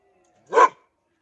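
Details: Dog showing aggression towards its owner gives a single short, harsh bark, loud and broadband, in an otherwise quiet room.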